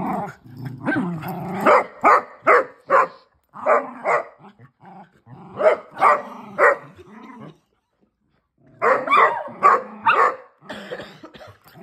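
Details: Playful female Basset Hound romping with sibling dogs; clusters of sharp barks and growly yips, roughly two to three a second, broken by a brief silence midway.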